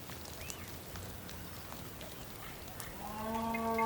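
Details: Bulls on the rain-soaked Patagonian plain, Tierra del Fuego, Argentina: a rich, tonal moo swells in over the last second, following light rainfall and scattered high bird notes.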